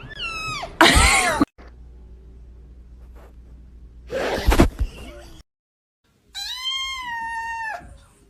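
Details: Pet cat producing long, wavering meows and a drawn-out falling then steady harmonic call, broken by loud bursts of noise and near-silent gaps.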